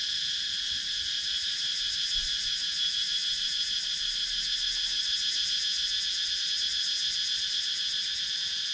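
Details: A thick insect chorus of cicadas in the wooded Thai countryside of Sakon Nakhon, recorded by GoPro Hero 9: a sustained bright shrill buzz with rapid rhythmic pulsing, several beats per second, and little other sound.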